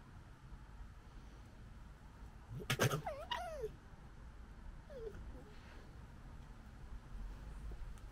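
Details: Gekkering from a pair of urban European red fox cubs in Britain, captured with a DJI Osmo Pocket 2: one sudden raspy burst with bending, yelping tones, then a faint short squeal after a pause, amid low steady hum.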